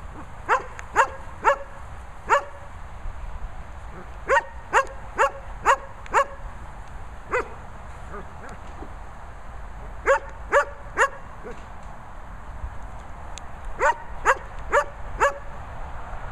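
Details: German Shepherds Sophy and Toby bark in bursts of three to five sharp, ringing barks separated by short pauses across the whole stretch.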